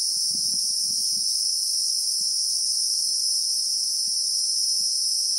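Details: Christmas beetle in the South African bushveld, recorded in real time: a steady, unbroken high-pitched shrill buzz holds at one even level throughout, with a few soft low thuds near the start.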